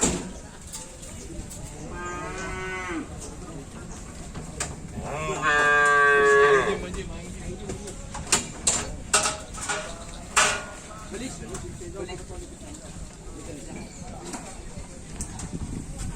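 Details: Cattle at a bull race training session (karapan sapi) at the Asemanis field, giving a short moo followed by a longer, louder drawn-out moo; sharp knocks, clatter and general crowd background follow.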